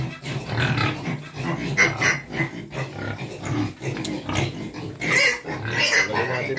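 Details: Quezon black pigs, native pigs at feeding time, giving harsh noisy grunts and squealing bursts, loudest near two, five and six seconds, mixed with people talking nearby.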